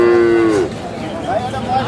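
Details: Improved-breed dairy cattle with cows and calves at Aftabganj market, Dinajpur, Bangladesh, on Tuesday 10/3/26: one steady, tonal moo of about half a second that slides downward at the end, then a low murmur of the crowd.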